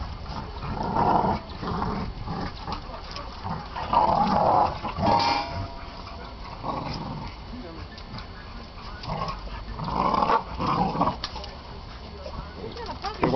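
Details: Several dogs play with one another, trading rough growls and brief whiny yelps in separate bursts, with quieter gaps between and human voices faintly in the background.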